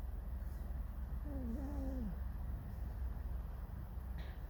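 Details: Pet fox Alice squeaking in discontent indoors, giving a short, wobbling, whistle-like whine with a clear harmonic that rises and then slides down, set against constant low-pitched background hum.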